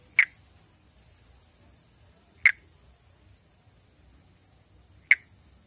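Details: Monkey tree frog (Pithecopus nordestinus), a Brazilian endemic of the northeast that breeds on foliage above water, calling during amplexus. Three loud, dry click notes arrive roughly every two and a half seconds over a constant shrill insect drone.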